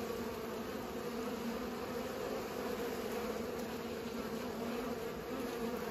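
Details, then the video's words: Bees pollinating, a steady droning hum of many wings with a low tone and a brighter overtone holding unbroken throughout, with no other clear sounds. "Bees pollinate"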